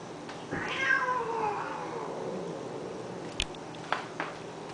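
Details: One of two cats, Honey and Lowell, fighting as they do daily, lets out a long drawn wail that slides steadily downward in pitch, followed by a few sharp clicks or knocks.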